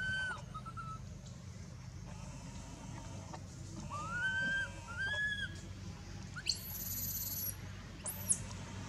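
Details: Baby monkey Anissa in pain at Angkor Wat Temple after Aron hit and dragged her: brief curved whining cries mid-clip, with knocks and a loud very high-pitched squeal near the end over steady low noise.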